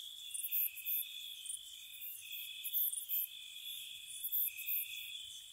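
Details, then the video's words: Spring night crickets near a cottage, a soft continuous high-pitched trill beneath bursts of sharp, bright chirps that come in quick pairs and triplets. "Cricket Sounds"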